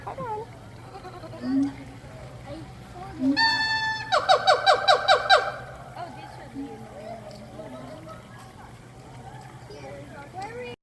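A monkey gives a rapid burst of loud, harsh, pulsed hoots, with people talking nearby.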